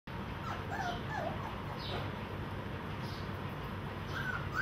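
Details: Golden Retriever puppies competing for food from a single bowl, squealing before they get fed: faint, short, high whining squeaks with curved pitch, scattered over a steady low rumbling background.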